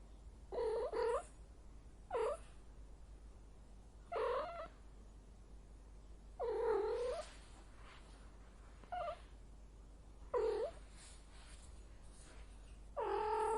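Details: Domestic female cat in heat repeating short, moaning yowls roughly every two seconds, some rising then falling, a few longer and drawn out, against quiet background hiss.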